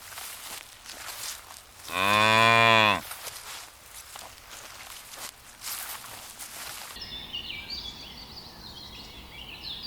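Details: Cow grazing in ripening rice fields gives one loud, drawn-out moo lasting about a second, rich and harmonic with a falling end; quiet rustling before and after, then chirping birds or insects over a faint rural background.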